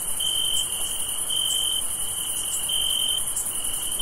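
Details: Crickets on a summer night trill in a steady, high, ringing note, broken only by brief pauses, over a fainter, higher insect hiss.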